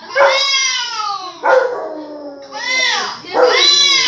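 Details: A dog reacting to hearing other dogs bark gives drawn-out, yowling howls that rise and fall, about four in quick succession.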